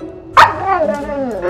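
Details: Skaya, a sassy female Siberian Husky known for talking, indoors on Halloween, scheming for candy: a sudden sharp onset swells into a drawn-out, wavering, tonal howl-like utterance that slides downward, with a person talking nearby.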